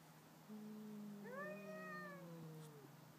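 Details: Two domestic cats in a night-time stand-off between neighbours: a drawn-out wavering yowl, low at first and then rising into a louder harmonic-rich wail that holds and slowly falls, lasting over two seconds.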